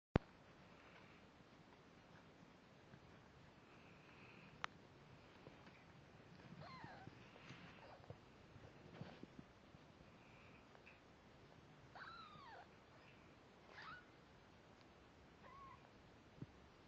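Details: Layla, a snowshoe Siamese mother cat, with her one-week-old kittens; thin, faint curving mews at scattered moments, several rising then falling, over a low rustling background and an occasional sharp click.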